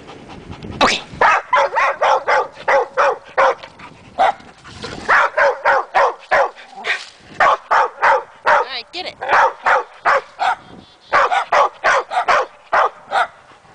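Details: Two dogs on a trail go wild at a tree where chipmunks are believed to be holed up, their second outburst there; rapid, insistent barks roughly every half second, nearly continuous across the stretch with brief gaps.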